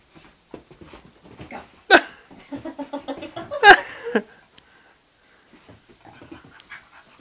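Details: Basenjis, a male and his sister, play fighting on dirty laundry, 28 January 2010, give sharp yelping bursts and a run of rapid, throaty grumbles between pants.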